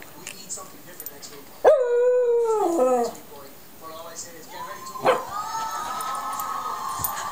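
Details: Yorkshire Terrier, called a rapper dog, giving a long harmonic howl that starts high, holds, then slides downward for over a second. After a pause comes a second rising cry that levels into a sustained tone. Faint background noise.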